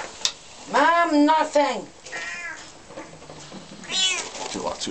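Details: Twin Bengal kittens meowing indoors: a loud, long harmonic meow, a shorter softer one after it, then a sharp high mew near the end, with a person talking in the background.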